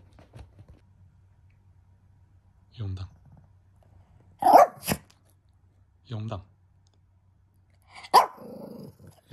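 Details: Pet Shih Tzu Hanimaru at home with its family in early May 2023, giving two sharp, loud barks a few seconds apart, mixed with Japanese conversation between them.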